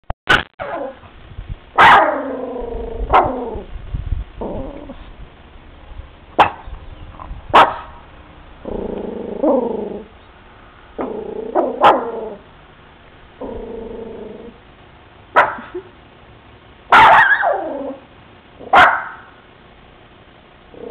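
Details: Bebe, a pet dog, in a new room at a new house barking at kids outside next to a van: scattered sharp barks mixed with drawn-out whining, howl-like tones and low growls, with quiet gaps between outbursts.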